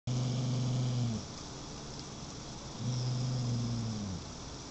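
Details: Beagle mix dog growling: two steady, low, droning growls about a second long each, separated by a short pause, over a constant background hum.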